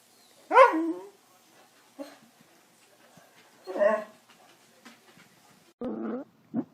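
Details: Corgi dog giving a few short, harmonic whining barks spaced several seconds apart, with a brief yelp near the end and quiet room sounds between calls.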